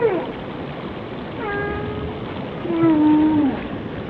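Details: Whales singing: a short falling cry, then a steady tone with bright overtones, then a drawn-out moan that wavers and drops at its end.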